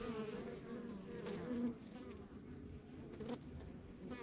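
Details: Backyard hive in the countryside humming with honey bees; a close bee briefly whines louder and higher near the start, then the swarm's even drone continues with faint wing-buzz flickers.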